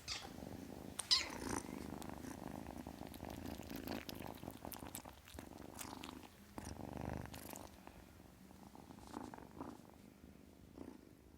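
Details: Soft, fairly quiet purring from a kitten, a low buzzing drone with scattered clicks and rustles, fading toward the end.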